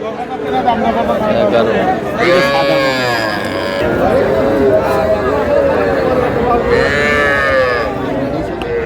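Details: Young cattle, small bulls and heifer calves, bought by a Comilla farmer on 12 May: drawn-out harmonic moos rise and fall around 2–4 and 7 seconds amid steady crowd chatter and bargaining voices.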